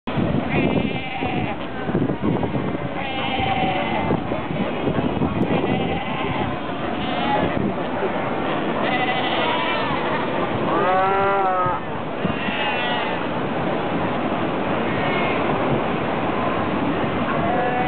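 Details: Cape fur seal (Arctocephalus pusillus) colony at Cape Cross, Namibia, 3 September 2008: a dense chorus of overlapping bleating and moaning calls rising and falling throughout.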